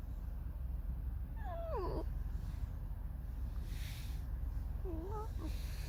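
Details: Alice, a pet red fox, gives a creaky, mournful vocalisation: two tonal calls with harmonics, the first sliding downward near 1.4 seconds, a shorter wavering one near 5 seconds, over steady low background rumble.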